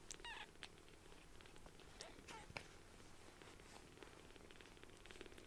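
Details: Newly rescued palm-sized kittens purring loudly while seeking affection; a low continuous rumble underlies the clip, broken by a couple of brief thin high squeaks near the start and mid-clip, plus scattered clicks and rustles.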